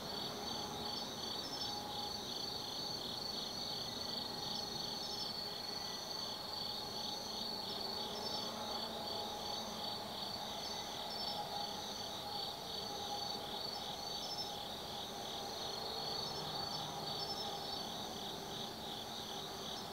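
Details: Autumn night insect chorus in the forest at Tsukimi no Mori, Kaizu, Gifu, Japan, overlooking the Nobi Plain: sustained high-pitched pulsing trills at a steady rhythm, plus a faint lower droning tone and distant hum throughout.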